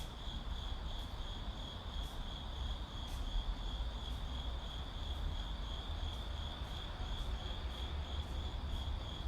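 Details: Urban night-style ambience of crickets: an even, piercing trill continues without pause, faint regular ticking sounds above it, all laid over a heavy low hum of distant city traffic.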